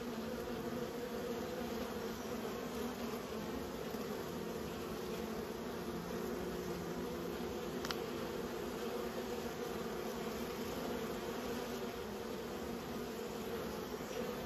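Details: Kept honey bees humming continuously in a thick, even drone of low tones, with one sharp faint click about midway and nothing else standing out.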